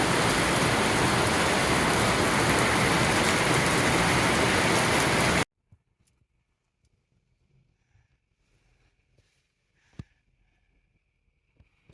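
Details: Loud rain-like hiss for about five seconds, then near silence with a few faint clicks and taps.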